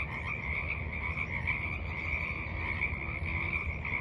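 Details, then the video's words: Frogs croak at a forest pond on an evening in late March 2023, their combined calls forming a continuous, shimmering, fast-pulsed trill at a fairly high pitch over a soft low hum. "Evening Frogs Croak in the Mud"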